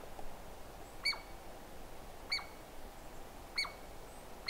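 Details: Douglas squirrel giving four sharp, clicky calls about a second apart, each with a bright ringing tone and a short falling tail, over a steady low background hiss.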